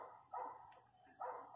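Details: Female Pinscher crying while giving birth to her first puppy, with four puppies expected; two soft, whining cries about a second apart over a low steady hum.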